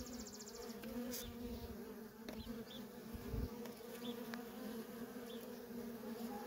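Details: Dense, even buzzing of many worker honey bees moving in and out of a feral colony. Short clicks, a soft low thud midway and a brief high pulsed ticking at the start are also heard.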